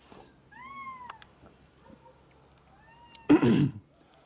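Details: Perched up on a small, high spot, a cat makes a short rising-then-falling meow, then a fainter, longer one about two seconds later. A loud rustling bump follows right after.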